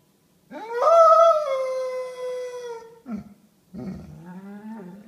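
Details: Basset Hound at home, moaning in protest at being told it is home time; a loud, long harmonic howl held steady for over two seconds then sliding down, followed by shorter lower moans.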